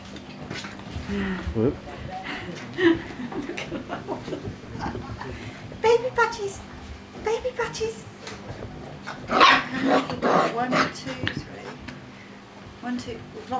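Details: Springer Spaniel pups, six weeks old, giving short high yips and thin whimpers scattered across the recording, with a brighter burst of yelps near the end, while people talk over them indoors.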